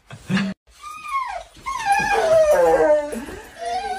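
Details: Golden Retriever, reluctant to go to preschool, gives long drawn howling whines that slide down in pitch, wavering and rising again, with a short noise at the start.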